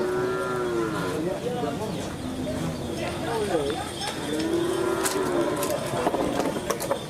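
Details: Madurese racing bulls (karapan sapi) running amok during training at the Asemanis field, Pamekasan, East Java, Indonesia; repeated drawn-out, tonal moos with gently bending pitch over loud crowd noise and distant voices.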